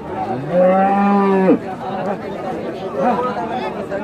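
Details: Farm cow culled from a dairy herd and sold for meat, in Bangladesh; one loud drawn-out moo lasting about a second ends with a sharp drop, followed by background chatter of people and faint lowing.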